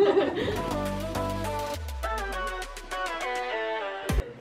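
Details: Music with sliding tones and a descending bass line under light chuckling and speech, ending in a short sharp thump, with no animal voice.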